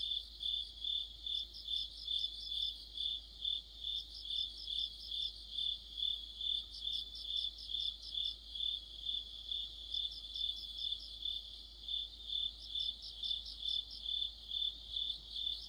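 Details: Crickets and other insects sing together in deep autumn, a continuous high shrill tone pulsing regularly, joined by bursts of rapid higher chirp series every few seconds.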